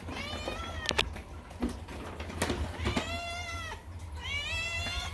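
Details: Male domestic cat kept as a pet, screaming instead of meowing: drawn-out, harmonic, calf-like wails repeating every second or two, some rising then falling, with light background music and thumps.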